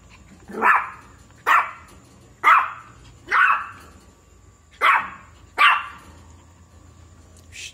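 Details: Shih Tzu puppy barking in a steady series of six short, high yaps roughly one per second, sharp onsets and quick decay, little else audible.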